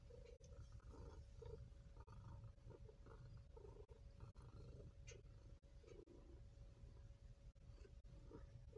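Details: Maine Coon kittens at a cattery in Yakumo, Japan, sleeping, recorded 23 June 2022; a steady, deep rumbling purr runs throughout with soft faint murmurs above it and a constant low hum.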